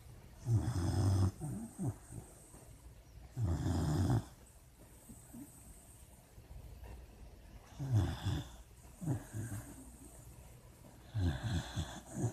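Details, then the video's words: A sleeping puppy dreams, giving short, low, rattling snores in irregular bursts, some close together, with quiet breathing in the gaps. "Puppy dreams and snoring"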